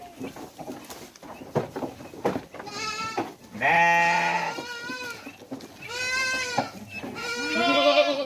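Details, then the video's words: Hungry goat at a goat farm in Mumbai, India, where hundreds of big goats are bred; three wavering, harmonic-rich bleats, the first long and steady, the later two shorter, over a background of rustling and faint voices. "The sound of India's biggest hungry goat"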